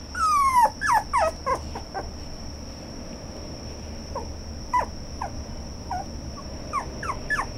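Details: A red toy poodle gives a burst of high, falling whines, then softer scattered yips.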